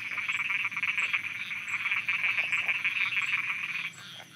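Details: Loud night chorus of frogs in Thailand, a steady stream of fast, grating croaks overlapping continuously before easing off near the end, with a faint high tick recurring at regular intervals.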